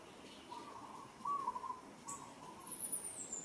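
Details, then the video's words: Young monkey Moka calling while struggling as monkey Sada handles her roughly in Kampong Cham Province, Cambodia: one sustained, slightly wavering mid-pitched tonal cry, later a faint high descending whistle. "She's struggling & calling"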